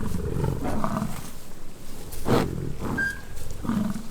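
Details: American bison fighting during rutting season on a ranch near Fort St. John, British Columbia, Canada: deep, rumbling roars in several bursts over rough outdoor background noise, with one brief higher tone.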